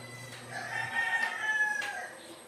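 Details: A kid goat injected with 1 ml of B-complex vitamins cries out in a drawn, slightly wavering bleat of about one and a half seconds. A low hum and soft background chatter are present.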